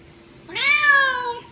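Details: Egyptian Mau, pleased after catching a rat, gives one clear meow that sweeps up at the start and then tapers gradually downward, about a second long, with a constant background hum.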